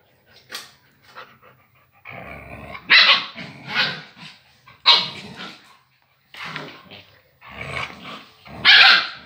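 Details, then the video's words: Wolf-gray agouti Husky sparring with a female puppy: loud harsh barks and growly snarls in uneven bursts roughly every second, with short quiet gaps between scuffles. "Briga da Husky Loba Cinzenta com a filhote"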